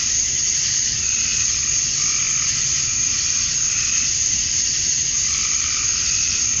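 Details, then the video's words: Male cicadas chirping to attract females at dusk on a summer night in Georgia, USA: a dense, unbroken high buzz that holds steady throughout, with faint slow swells in the upper layer and no other clear sounds. "Cicadas at Dusk, Summer Night"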